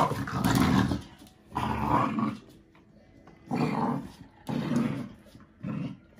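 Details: Growls from an American Bully puppy, five months old, tussling over a toy with a five-year-old AmStaff that gives in: five separate rumbling growl bouts, each about a second long, with quiet gaps between.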